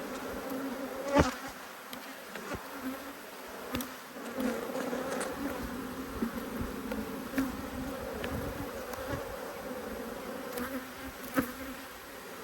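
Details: Honey bees from two hives, cross at being inspected, recorded 5 March 2022: a dense, steady hum with strong low tones and an upper layer, broken by sharp clicks and knocks from handling the hive frames.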